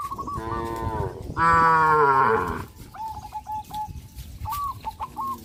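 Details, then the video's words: Cattle driven along a rural road: a moo opens the clip, then a louder, longer bellow held for about a second, followed by faint chirping notes over a steady background hum. "sound of cows"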